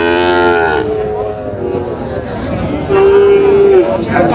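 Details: Sahiwal bull calf and other cattle at a cattle market in Chandpur, 23 July 2025: two clear, steady, fairly high moos about a second long each, separated by a gap with murmured voices.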